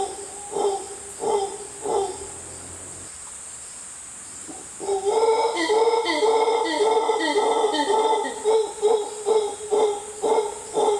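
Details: A mantled howler monkey in the Costa Rican jungle gives gruff, pulsing grunts that build into a rolling, throaty, loud howl.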